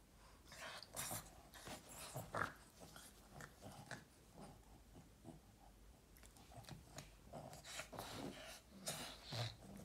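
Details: Boston Terrier just woken up, grumbling and growling in a quiet room: irregular rough snorting bursts and breathy huffs continuing for about ten seconds, with occasional louder grunts.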